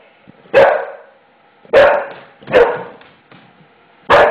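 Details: Indoor English Bulldog, scared of a freshly laid floor, gives four loud, rough barks at uneven intervals of roughly a second, in a quiet room.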